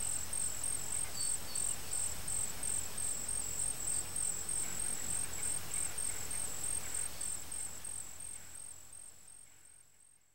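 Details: Warrior wasps (Synoeca cyanea) drum in a dense, low, rustling rumble pulsing about four times a second, then fading.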